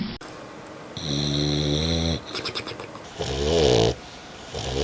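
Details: Dog asleep and snoring: two long, droning snores, each about a second, rich in layered overtones. The second has a wavering, gurgling quality. A soft breathy hiss sits between them.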